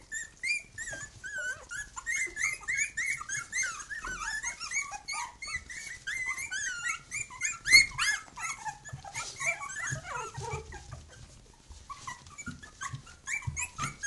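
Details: Litter of three-week-old Khyi-Mi pups with mother Bhoomi, very loud: a busy, nonstop run of high squealing whimpers and yelps from many pups, thinning slightly toward the end.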